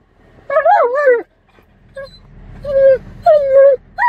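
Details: Alaskan Malamute travelling by car: a sequence of loud, tonal whines and yips, some wavering and falling, others held level, separated by short pauses, with faint engine hum beneath.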